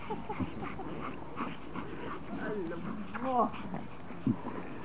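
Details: Excited Pomeranians, toy poms, welcoming their owner home after vacation; wavering high whimpers and yips, a quick rising-falling cry near the middle, with human voice and household noise behind.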